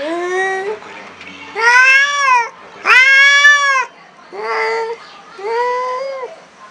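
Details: First encounter with a new cat leaves this black cat extremely angry: five long moaning yowls, the middle ones loudest and rising in pitch, the last two lower and softer, spaced about a second apart.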